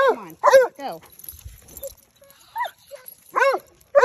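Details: Winston and Graham, two basset hounds roaming the neighborhood, let out sliding, drawn-out bays in short bursts separated by quiet gaps, with a person's voice mixed in.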